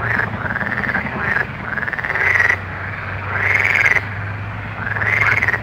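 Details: Night frog chorus with long, swelling trills that arch upward and fall back, each lasting about a second, separated by short quieter gaps, over a constant low drone.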